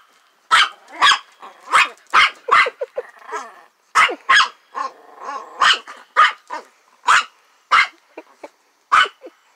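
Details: Frightened dog at a trailer with a playful lamb nearby, giving sharp, high, yappy barks in irregular bursts, some in quick pairs, with softer whining sounds between them.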